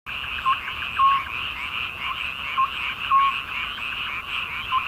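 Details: Frogs in midsummer: a dense, steady croaking chorus with brief clear notes popping out about twice a second over a continuous buzzy drone, with no other sounds.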